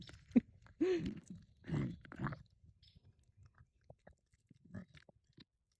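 A bobcat chews and crunches noisily, with a few low grumbling tones mixed into the bites.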